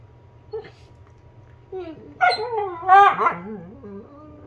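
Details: A Basset Hound gives a warbling, wavering howl that bends up and down before sinking into a low moan.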